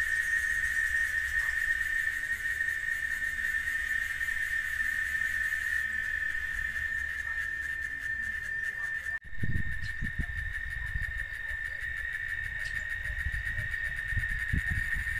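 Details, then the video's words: A cicada in Oaxaca sings a steady, unbroken high whine that holds one pitch from start to finish. "Canto de la Chicharra Oaxaca"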